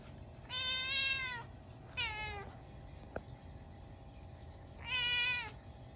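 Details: Munchkin cat indoors at midnight on a snowy day, reacting to a stink bug that got into the house; three loud, rich meows, long, short, then long, with a faint click between them and a steady background hum.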